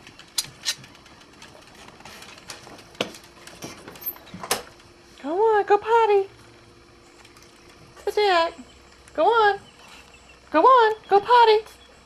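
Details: Boston Terrier, one of several kept together, at lunchtime as the dogs are let outside: short arched whining yelps in bursts of one to two seconds, five in all, after scattered clicks and taps.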